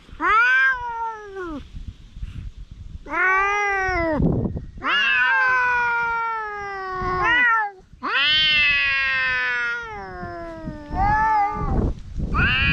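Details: Two stray cats squaring off in a fight trade long, drawn-out yowls, each rising then sagging in pitch, some held for several seconds, nearly continuous and loud, with scuffling noise underneath.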